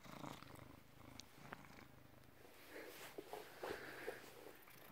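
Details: British Shorthair cat, born August 2010, recorded 16 November 2017 at 16:33. A low rumbling purr pulses steadily, broken by a few soft, noisy bursts and clicks.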